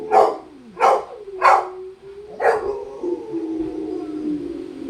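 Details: Several Rottweilers howl in long, wavering tones, broken early on by four sharp, harsh barks.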